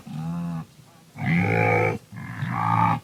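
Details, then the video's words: Three harmonic, nasal grunts from a wildebeest, each lasting close to a second, the later two brighter and more resonant, separated by brief pauses. "SOM DE GNU"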